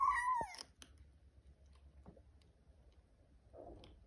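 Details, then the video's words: Muffin, a tiny, needy kitten wanting attention, indoors: one short, loud, falling mew at the start, then a quiet room with faint clicks and rustles. "Daily struggles of the tiniest, whiniest, neediest lil kitten named Muffin"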